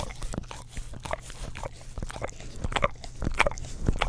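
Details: A pet English Cream Golden Retriever laps at an Orapup tongue-cleaner brush next to a stereo microphone, making irregular wet tongue smacks and sticky clicks, slightly louder in the last second.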